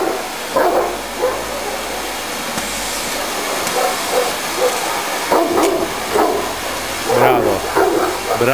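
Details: Kimu, a 60 kg Tosa inu aged 11 months, barks at a running vacuum cleaner: scattered rough single and double woofs spread across the recording, set against loud continuous suction noise and brief male talk.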